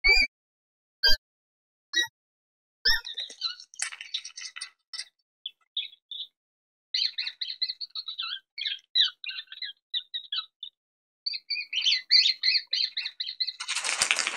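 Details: Mouse squeaking: a few isolated high, sharp squeaks, then dense runs of rapid, thin chirping squeaks in irregular bursts, ending in a brief loud broadband rustle.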